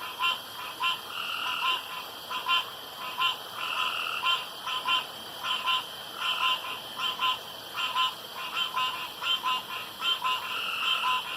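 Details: Pond frogs in darkness keep up a busy chorus: clipped, twangy croaks in quick runs and pairs, rough and irregular in rhythm, more than one caller overlapping across eleven seconds.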